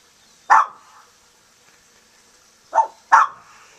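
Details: Guard dog Nikki defends caged doves against a young hungry hawk, giving one abrupt bark, then after a two-second gap two more barks in quick succession.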